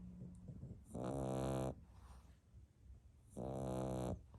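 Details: A sleeping French Bulldog puppy snores lightly in two long, raspy, rattling breaths with quiet pauses between; recorded 1 May 2021.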